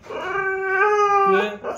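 A Siberian Husky gives a short, sustained howl with a steady, slightly rising tone that drops lower at the end.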